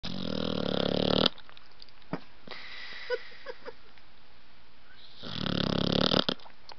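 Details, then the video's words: Blue nose American Pit Bull Terrier puppy named Roxie snoring while asleep: a loud, rasping snore of about one second, a quiet gap with faint clicks, then another long harsh snore near the end. "Pitbull Roxie Snoring"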